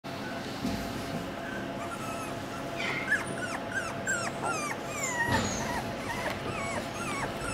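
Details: Miniature Australian Shepherd puppies from a litter born in January 2021 whimpering: thin high whines that slide up and down, many overlapping short cries from several pups, with a steady low background hum.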